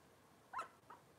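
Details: Cavalier King Charles Spaniel puppy from Robin's litter, filmed indoors on a kitchen camera: a single short high yelp rising then falling, followed by a fainter squeak, against low room noise.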